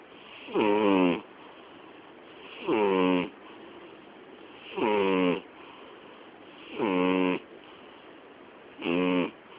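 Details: Sleeping female cat named Miyabi, nearly 12 years old, snoring loud enough to cover the TV; five steady raspy snore breaths with layered buzzing tones, evenly spaced about every two seconds in a quiet room.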